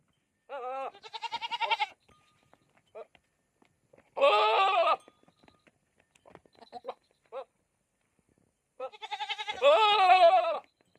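A goat gives three loud, wavering bleats, with a few soft bleats in between.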